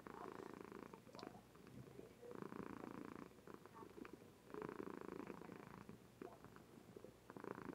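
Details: Female Somali cat asleep indoors, purring with gusto, on a webcam: deep rattling purr repeated in regular long pulses, loud phases alternating with quieter inhalations about every two seconds, a few faint clicks in the room.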